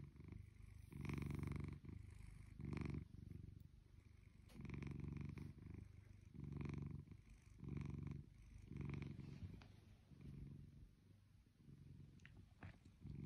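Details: Close, steady purring from Shelby, a blue British Shorthair cat almost two years old, at home: low buzzy rumbles pulse on and off about once a second, with faint clicks between them.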